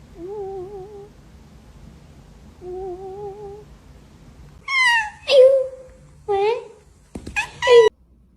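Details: Pet cat indoors: two steady, wavering, hum-like tones, then a burst of short, bright meows that rise and drop sharply, several in quick succession near the end, over faint room noise.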